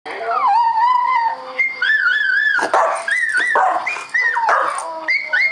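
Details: Pet Schnauzer howling indoors: loud, wavering, whistle-like tones that slide up and down, with long sustained notes broken by short yelping rises and brief breathy gaps.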